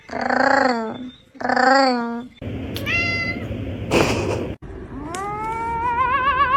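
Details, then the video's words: Cat meowing oddly: two full, wavering meows, then a shorter, higher cry and a burst of rough noise, ending in a long, rising, quavering meow over a steady background hiss. "Strange cat meowing"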